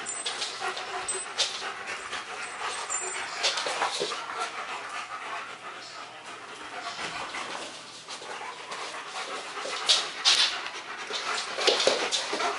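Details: Max and Ace, a pair of German Shepherds, at play on 14 September 2015; quick, irregular huffing pants about two or three per second, noisy rustling, and louder breathy bursts near the end.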